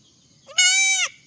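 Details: Baby goat giving a single loud, high, nasal bleat of about half a second, steady in pitch with a rich buzzy tone, rising at the start and dropping at the end, over quiet background.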